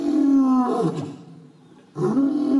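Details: Cecil, an African lion studied for three years in Hwange National Park, Zimbabwe, roars in two deep, drawn-out bursts split by a brief pause.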